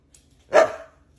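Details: Siberian Husky at home talking back while being told it is time to relax; a single abrupt bark with a short fading tail, otherwise quiet room.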